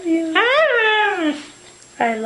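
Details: A dog "talking" indoors in a small room, from a funny compilation. It gives a drawn-out tonal whine-howl that rises, then slides down over about a second, pauses, and starts again.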